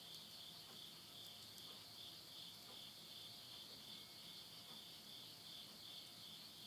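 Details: Insects calling at midnight in the countryside of Yurihama, Tottori, Japan, at the end of summer, September 2020. A steady, high, shimmering trill pulses continuously, with faint crackles of wood burning in a house stove.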